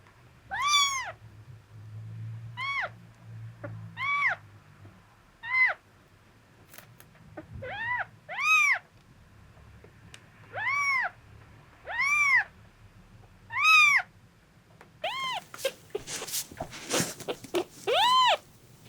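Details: Miel, a male red tabby-and-white domestic cat born March 2023, at an animal hospital visit after suspected epileptic seizures, January 2024: about ten arched, harmonic meows roughly every one to two seconds, ending with a burst of rustling noise.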